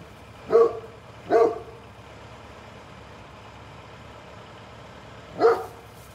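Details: Great Pyrenees on watch as a mail truck passes, giving two deep barks close together, a long pause with steady vehicle hum, then one more bark.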